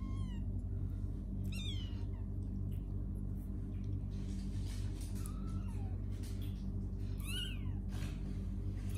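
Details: Kittens playing and sleeping, giving high, thin meows that rise then slide down, several short calls scattered through the clip over a steady low indoor hum.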